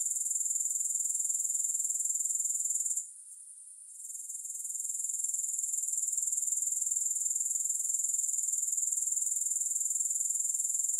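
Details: A high, sizzling grasshopper trill beating about four times per second, cut by a near-silent dip for about a second early on before resuming steadily; no music or voices.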